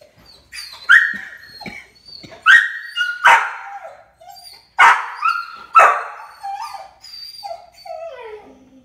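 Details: Buddy, a rescue dog watching squirrels on television, gives high tonal whines and short yips in uneven bursts, some rising then falling, with sharper excited yelps between and a final descending whimper.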